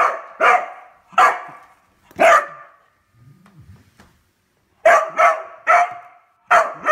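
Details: Beagle excited over a newly found toy, barking in sharp, rapid bursts: three barks, a pause with soft low rustling, then four more quick barks.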